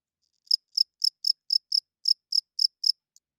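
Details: Cricket chirping at night, a male rubbing its wings to attract females and hold territory; about ten short, high, pulsed chirps come roughly every quarter second, then stop, against a silent background.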